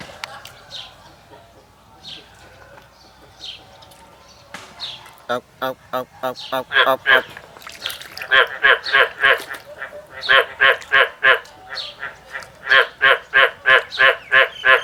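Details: Quiet field ambience with faint chirps, then a male frog in the field starts up, building into steady runs of raspy, pulsed croaks repeated roughly three times a second in bouts.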